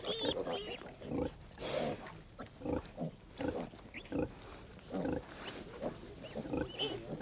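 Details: On a farm, hungry piglets about 15 days old wait impatiently to suckle from the sow. They give short, nasal squeals and grunts, roughly one burst every second or two, under a woman narrating in French.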